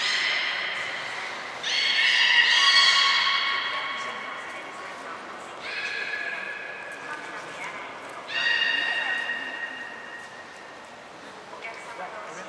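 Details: Three captive belugas, Hodoi, Taanya and Mirai, at Port of Nagoya Public Aquarium, Japan, on 23 February 2021 during pool moves and training; three bouts of stacked, nasal whistling squeals, each a few seconds long, separated by quieter pauses.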